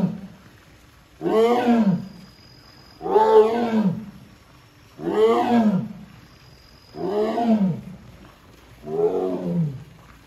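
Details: At Hamamatsu Zoo on 24 September 2023, the Amur tiger Sasha summons her keeper when the door won't open on its own: five loud, gravelly moans spaced about two seconds apart, with quiet pauses between.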